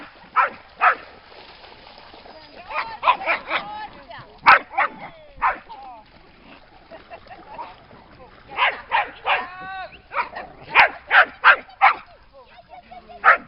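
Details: Dogs by a lake at Lida Nature Reserve on a summer day, giving sharp, broadband barks in irregular clusters of two to four, mixed with higher whining, wavering tones and what sound like human voices between bursts.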